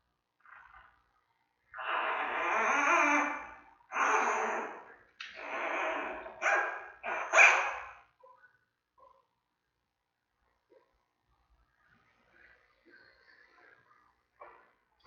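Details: Newborn giant panda cub in the den at the Smithsonian's National Zoo, mother Mei checking around. Four loud grating squawks about once a second, the last the sharpest, then faint rustles and small clicks.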